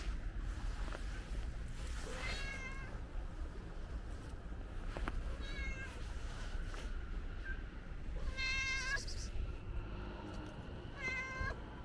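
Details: Friendly ginger stray cat asking for food, giving several high harmonic meows, around two and a half, eight and a half and eleven seconds, over steady low rumbling background noise.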